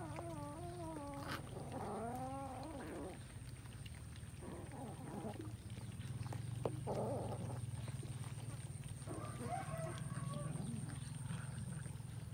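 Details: Several kittens eating rice, with drawn-out, wavering meows that bend downward in the first three seconds, followed by softer, scattered mews over a steady low hum.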